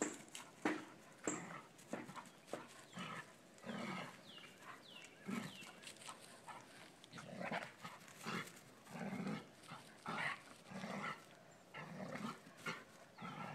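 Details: Dobermann puppy pestering Elke, an adult Dobermann lying in the sun: a run of rough, grumbling growls and short yappy barks in uneven bursts, with a few thin bird chirps in the background.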